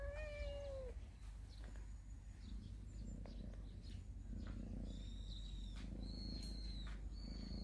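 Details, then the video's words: Cats of a family living in a storehouse, basking in the morning sun; one short, falling meow opens the recording, followed by high, thin bird chirps and whistles against a low background rumble. "창고 고양이 가족^^ / 아침 햇볕쬐는 고양이들"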